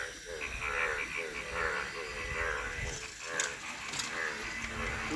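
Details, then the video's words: Frogs calling naturally in Thakurgaon district; short harmonic croaks repeat roughly once a second in an overlapping chorus, with a steady background hiss and faint low rumble. "Natural sound of a frog in Thakurgaon district"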